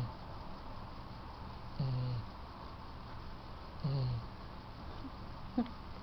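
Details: Yellow Lab Riley sleeps in the owners' bed at night, oblivious, giving deep, throaty snores; two low rumbles come roughly two seconds apart, followed by a brief sharp click near the end.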